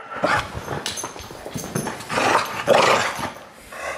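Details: A close, rumbling growl from Deisal, a Bulldog that hates the camera, swelling into two louder rasping surges before fading, in a small room.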